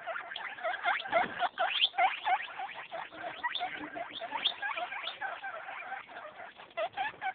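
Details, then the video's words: Eight-day-old baby guinea pigs, all doing well, making a dense stream of rapid, high chirping squeaks, several every second and overlapping, with a faint soft rustling beneath. "Baby guinea pigs"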